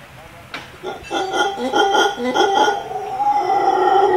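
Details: Howler monkeys in trees above a swimming pool and tennis court in Playaverde, Costa Rica, answering a person who "speaks" to them. Loud, guttural, pulsed roaring with strong harmonic bands rises suddenly and carries on in a rough, rolling series.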